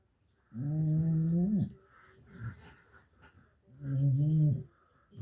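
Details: Sleeping badger snoring: two long, steady, harmonic droning breaths about three seconds apart, each lasting around a second, with quieter breathing and faint rustling in between, indoors.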